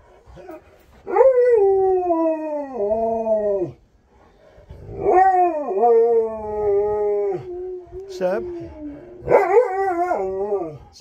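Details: Husky named Sherpa on a road trip, staring at his owner, gives a run of drawn-out, talkative howls that start high and slide downward, three long phrases with short gaps, each bending and wavering in pitch.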